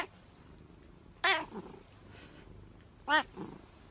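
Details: Pet cat uttering two short, sharp meows about two seconds apart, each followed by a softer, lower trailing note, over a quiet hiss of background noise.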